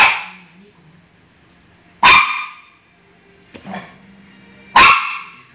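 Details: Three loud, abrupt barks from Maxi, a pet dog after a bath, spaced about two to three seconds apart. Each bark fades quickly, with a quiet whine and muffled voices between them.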